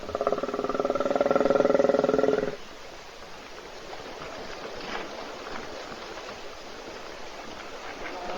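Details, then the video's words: A hippopotamus asleep in a puddle at a South African waterhole near Kruger National Park, filmed by an Africam webcam: a rapid pulsed, buzzy rumble lasting about two and a half seconds, then only quiet outdoor background. "Бегемот Hippo храпит в луже"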